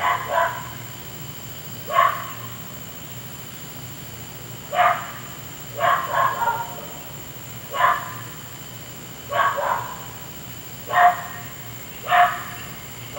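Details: Persistent night barking by a neighbour's dog lasting an hour; repeated single and paired barks spaced one to two seconds apart, somewhat distant, with a steady low-level hum throughout.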